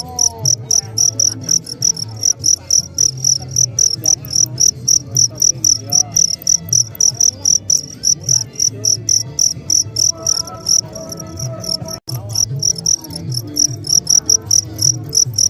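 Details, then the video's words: Crickets singing, presented as a relaxing sleep sound: a long run of rapid high chirps, roughly four per second, fairly even in rhythm, over a soft low background hum. "VERY BEAUTIFUL SOUND OF CRICKETS"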